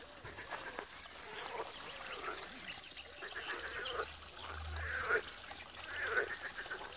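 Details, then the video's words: Frogs croaking at a pond in Wiry, many voices overlapping in a dense, steady chorus of short, nasal, quacking croaks, with a few louder, sharper calls standing out near the end over a low background hum. "Żabi stawek, kumkanie, rechot żab"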